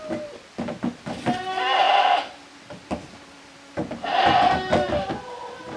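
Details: Playing goat kids, Koharu's and Okayu's young, in the exercise yard of a handmade goat farm in Japan on 13 June 2023; two loud, drawn-out quavering bleats separated by thuds and clatter.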